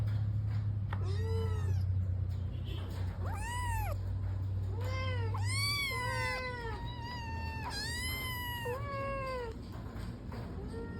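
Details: Persian cat calling to be let outside, giving a rapid series of about eight insistent meows, each arched and whining, some bending upward at the end, with a low background hum in the first half.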